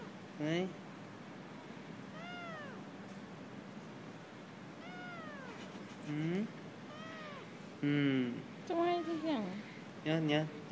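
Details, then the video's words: Stray kitten at a residential block complaining about being filmed, giving about half a dozen clear arched meows spaced a second or two apart, then a quicker cluster of sharper, louder cries near the end over a quiet indoor background. "Kitten protests being filmed"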